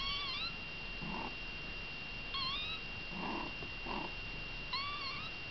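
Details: Kittens beside mother Baileys utter three short rising-falling meows at the start, middle and end, separated by soft scuffling or shuffling noises, with a steady high whine running through.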